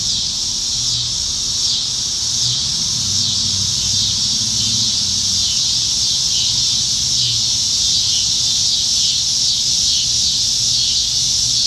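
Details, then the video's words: Summer evening in Nebraska, July 2019, with cicadas everywhere up in the trees: loud, sustained high-pitched buzz with rhythmic pulses swelling roughly every second, distant low murmur beneath. "Summertime Evenings in Nebraska - Cicadas"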